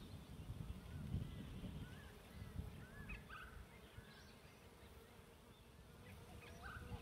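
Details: Many bees swarming a bee tree fill the air with a deep, continuous hum that swells and fades slightly, with small birds adding brief sliding chirps and whistles, recorded while camping.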